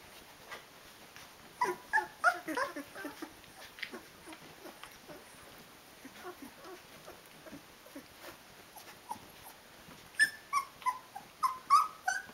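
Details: Rhodesian Ridgeback puppies, 16 days old with eyes open, calling their mother to feed them: soft, quick whimpers in two bursts, early and late, over a low indoor hiss.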